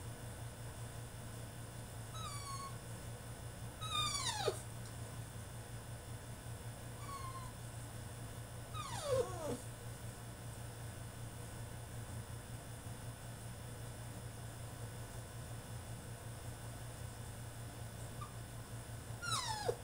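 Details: Male French Bulldog throwing a tantrum in his cage: a few high, sliding whines that drop sharply in pitch, spaced by several seconds of quiet, over a steady low electrical hum.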